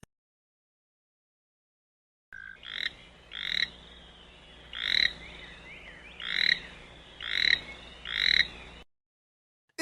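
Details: Toad calling in a quiet setting: a series of about seven short, high, trilled croaks, each a quick rattling burst, spaced roughly every three-quarters of a second, with faint background hiss.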